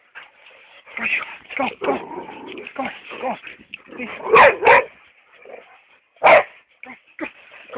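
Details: Hugo, a chocolate brown Labrador Retriever, barks twice in quick succession midway and once more near the end. A person talks throughout, mixed with softer whining sounds.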